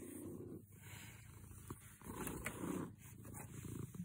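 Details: Close, low purring from a happy house cat, a coarse throbbing hum that rises and falls with its breathing throughout, with slight rubbing noises.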